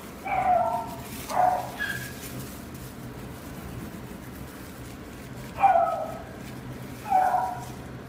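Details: Male pet-shop dog in black smoke coloring, born 4 November 2019, barks in two close pairs of sharp, high yips separated by several seconds of near silence indoors.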